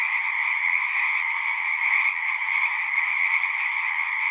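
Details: Chorus of frogs at a pasture pond, captured on a Zoom 6 recorder, many callers blending into a continuous shrill trill that holds steady throughout, no gaps or other sounds.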